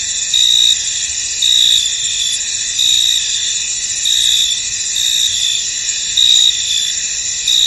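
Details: Crickets calling in a mist-covered field, a constant high whirring backdrop punctuated by louder chirp pulses at fairly regular intervals of about a second, nothing else audible.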